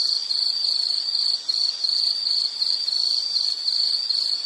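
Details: High insect trill in quick pulsed bursts, broken by a short gap partway through before resuming at the same sharp, steady pitch; no other sounds.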